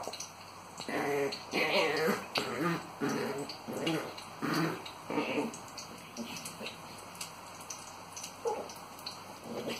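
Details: Several Long Coat Chihuahuas at a game of tug of war give bursts of harmonic growling and grumbling in uneven pulses, louder early then tapering, with faint scuffling between bursts.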